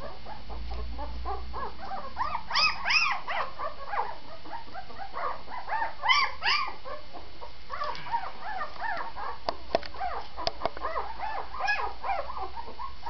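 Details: Vizsla vocalising: clustered, rising-and-falling whines and yelps come in bursts, with louder peaks near three and six seconds and a few sharp clicks later.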